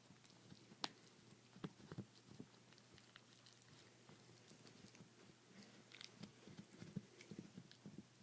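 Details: ChiChi, a Chihuahua, gnawing on a bone inside a small room, producing scattered crunches, clicks and soft mastication sounds at uneven intervals, with a few louder snaps standing out against a low, quiet background.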